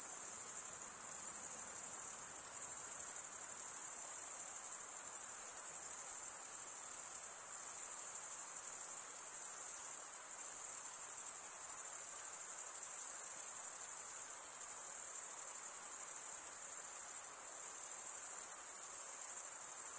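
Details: Long unbroken run of cricket chirping made by stridulation: a bright, high, buzzing trill with slight regular pulsing, steady in volume for twenty seconds and otherwise quiet.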